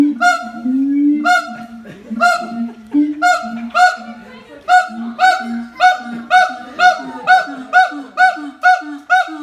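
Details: Siamang duet of high and low voices, their infant silent and clinging to its mother: low hooting beneath loud harmonic barks that start about a second apart and quicken into a rapid, even series.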